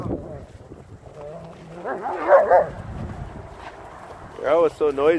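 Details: Young dogs, two 8-month-old puppies with two adult shepherds, running around a yard while playing; two bursts of wavering, high yelping cries, one mid-clip and a louder pair near the end, over steady wind noise and a person talking.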